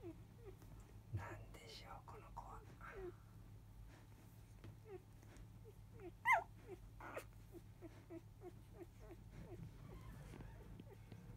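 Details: Field-type Labrador Retriever puppies, five days old, from a newborn litter, recorded just after 3 pm: many short, thin rising-and-falling squeaks overlap in a steady stream, with one sharper, louder yelp midway over a low background hum.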